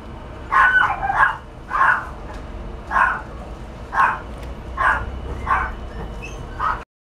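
Sharp, high yaps from a Yorkshire Terrier come in a loose series, roughly one every second or so, with brief pauses between. A faint low background hum sits underneath the barking.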